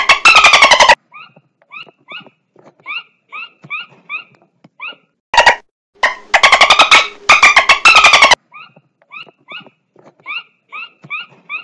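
Dolphin calls: loud, harsh squawking bursts between quieter, quick chirps repeated several times a second.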